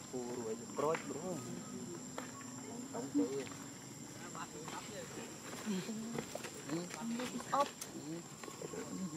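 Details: A baby monkey in Cambodia calling to find its mother: repeated short, shrill, arching cries, some rising and falling, scattered through the clip over a steady low hum, with faint human voices and rural background noise.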